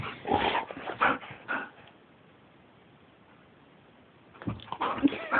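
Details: Excitable pet dog inside a room gives short whimpering yips in the opening two seconds, then near silence, then another burst of whiny yelps toward the end.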